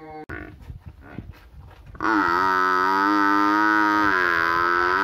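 A cow gives a long, loud, steady moo after a moment of quiet background noise.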